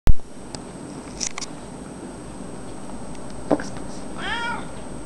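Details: A cat meowing because it wants its food: one quiet, drawn-out meow near the end after a long hush indoors, with a sharp click at the very start.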